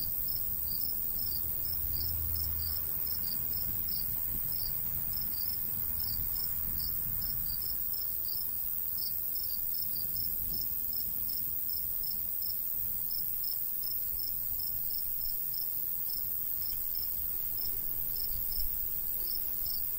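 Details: Summer crickets in golden wheat-field countryside, breezy: quick high chirps roughly 200 per minute, somewhat irregular, with short gaps, over a faint continuous insect whine and soft low wind.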